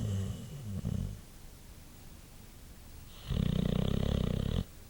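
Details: After a long day a white boxer called Champ sleeps and snores, a short low rumbling breath followed by a pause and then a loud, buzzing, vibrating snore lasting over a second.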